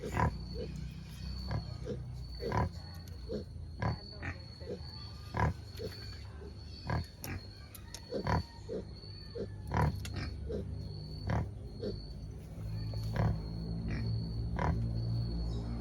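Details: Short, low grunts from free-range native black pigs in Albay come irregularly, about forty a minute, with a steady high-pitched hum throughout and a few faint voices.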